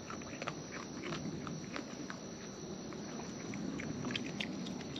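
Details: Wild raccoons eating close up, with natural chewing noises: irregular, rapid crunchy clicks and wet smacks, several per second, over a steady outdoor hiss.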